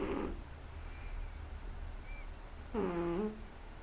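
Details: A sleeping 3-month-old Shih Tzu snores with a low rumble and a nasal, whining tone on each breath.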